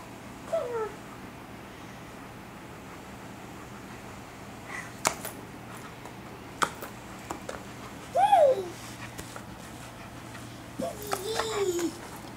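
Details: An Alaskan Malamute, playing with bubbles, gives a few short, sliding whines that rise and fall, spaced several seconds apart, and inadvertently bumps into the camera.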